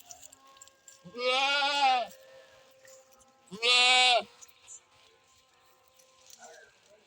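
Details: Goat bleating: two long, strongly wavering bleats about a second each, rich and nasal, separated by a short pause, with a faint steady tone and light background noise between calls.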